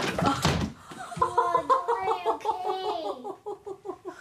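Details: People laugh heartily and speak briefly in a small indoor room after a thump.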